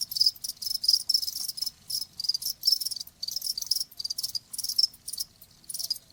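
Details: Cricket song as a bright, high-pitched pulsing chirp, clustered bursts about every half second with small pauses between groups, intended as relaxing sound for tinnitus and sleep, with no other sounds.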